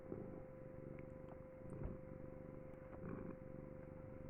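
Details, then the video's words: Domestic cat purring continuously, a low, steady rumbling vibration that gently swells and fades, with a faint constant electrical hum behind it indoors. "my cat purring for a minute strait"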